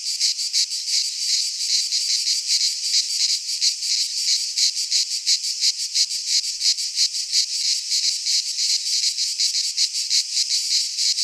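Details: Singing cicadas of the Greek fauna, heard in a pine forest in midsummer: an intense, high-pitched electric buzz with rapid pulsing and slight surges in loudness, no other animals or voices.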